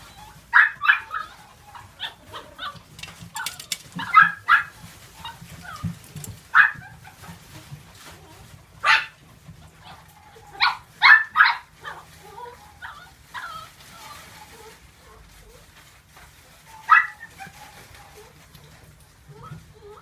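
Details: Female apricot Toy Poodle puppy, born 27 February 2018, kept at a pet shop, gives short sharp high yips in irregular bursts, about a dozen over twenty seconds, with quiet gaps and a low indoor hum.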